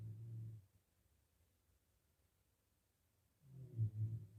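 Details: A healthy pig in a pigsty, sleeping after feeding, gives a low rumbling snore, then a louder, rougher snore about three seconds later, with near silence between them.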